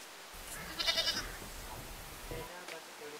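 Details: Goat in a village, giving one short, tremulous, wavering bleat about a second in, with rustling and a faint human voice in the background.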